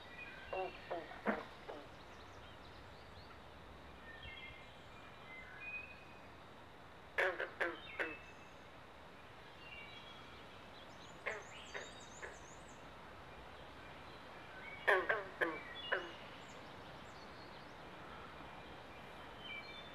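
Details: Frog chorus of carpenter and green frogs during mating season at a pond in Southampton, New Jersey, within the Pinelands: clusters of short twanging plucks every few seconds, plus a high bird trill.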